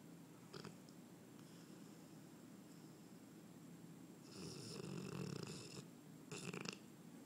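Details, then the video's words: Sleeping English Mastiff LiL Largo gives soft low breaths, then one long rasping snore from about 4 to 6 seconds and a short snorting burst just after, against a faint indoor hum. "English Mastiff "LiL Largo" Snoring"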